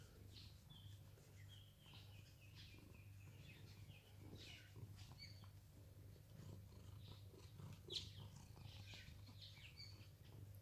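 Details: Rescued house cat Sam in Cooktown, Queensland, Australia gives a continuous low purr during a fur-pampering grooming session. Constant rustling and scraping sit above it, with scattered faint chirps in the background.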